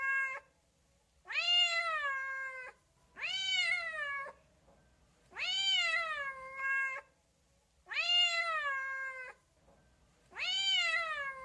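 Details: Cat giving a series of six repeated meows, roughly one every two seconds, each rising sharply then sliding down, harmonic-rich and fairly loud against a quiet background.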